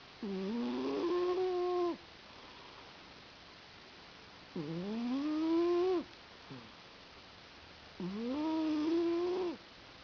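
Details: A domestic cat named Sammie sleeping on a lap and snoring, three long humming snores at a slow breathing rhythm, each sliding upward then leveling off, separated by quiet pauses.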